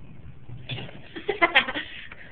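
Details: Patches, a female pet cat, scratching at a shower door as if she wanted out, though the other side was open; a short, bleating, harmonic meow in two quick pulses near the end over low indoor rumble.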